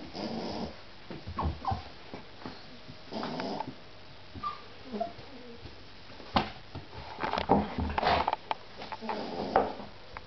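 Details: Indoor litter of puppies, mostly quiet, giving soft short whimpers and squeaks scattered through the stretch, with snuffling, rustling and a few clicks between them.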